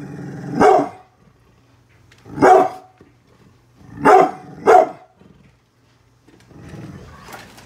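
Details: Brindle Pit Bull named Bullet guarding its house against construction workers outside, giving four loud harsh barks spaced irregularly, two close together near the end, with a low rumbling growl between them in a small indoor room.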